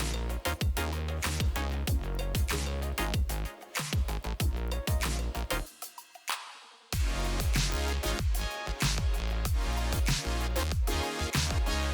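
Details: Loud electronic dance music with heavy bass beats and a short breakdown near the middle, with no animal sound.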